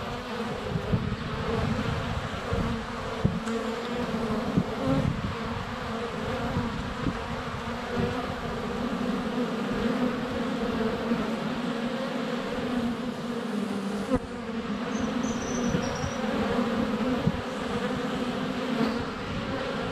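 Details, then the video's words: Honey bees swarming in flight at a hive entrance on a sunny February day, filmed up close with a GoPro Hero 7 Black; dense continuous droning hum with wingbeat bands, occasional bumps and a faint high bird chirp near the end. "4K Honey Bees - ambient video and audio"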